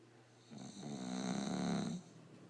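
An English Bulldog snores with a low, rumbling, rattling breath lasting about a second and a half.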